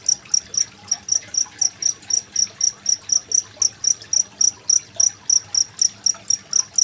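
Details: Cricket chirping beside trickling water, a recording used to tutor contest songbirds like magpie robins; bright, ringing high-pitched pulses come in a brisk regular series of roughly four per second with faint hiss underneath.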